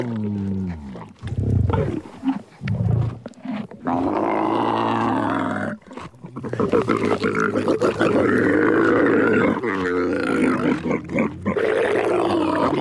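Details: Camels calling: deep, gurgling, roaring groans that break into rough, bubbling bursts, then a long loud throaty bellow rising and wavering over several seconds, with brief pauses between outbursts.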